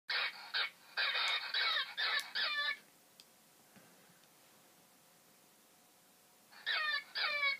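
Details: Harsh, screechy fox calls in rapid bursts with a quiet pause before another burst; it is a fox recording found online and played back.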